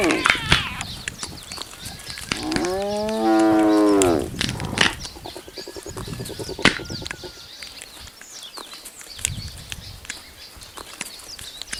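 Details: After lions ate their fill, spotted hyenas storm a buffalo kill, crunching and cracking bones in sharp bursts, broken by one loud, drawn-out groaning moan.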